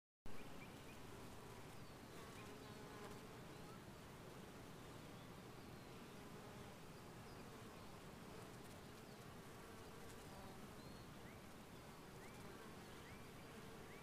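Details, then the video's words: Honey bees recorded in 2015, a steady, dense droning hum that holds evenly throughout, with faint thin chirps drifting above it now and then. "Honey Bees"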